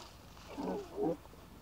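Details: Young lion cubs playing and bonding in the wild: two short, low moaning grunts about half a second apart, the second slightly stronger, over a steady soft background hiss.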